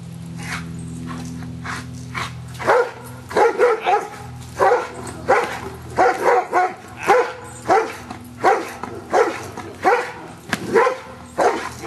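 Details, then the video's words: Giant Schnauzer Luther at Schutzhund stick-hit work on 25 April 2009, learning to accept stick hits; after a low humming start, a long run of loud, insistent barks repeats well over once per second. "Luther Giant Schnauzer Schutzhund Stick Hit Work"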